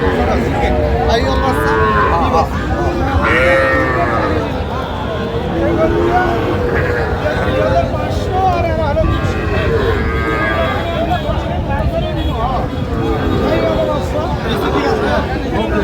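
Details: Sahiwal cattle, small young bulls and heifer calves, at Aftabganj cattle market in Pabna on 18/6/25; several drawn-out, arching moos overlap one another amid steady human chatter and market crowd noise.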